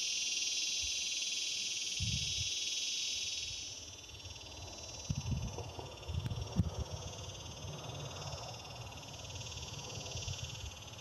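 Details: Male cicadas in Palm Desert, California, during mating season, vibrating their timbals to call to potential mates. A loud, metallic, unbroken buzz for about four seconds, then a softer steady buzz, with low thumps of wind or handling underneath.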